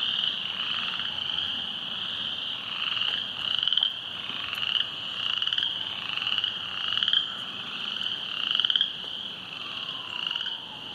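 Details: A massed chorus of frogs on the rain-flooded Silver Creek trail: continuous high trilling with rhythmic louder swells roughly every one to two seconds, growing stronger midway, then easing toward the end.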